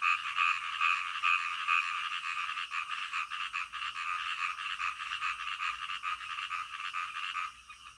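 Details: Night-time frog chorus with a few clear repeated notes at the start over a continuous mass of overlapping pulsing croaks that fades slightly toward the end.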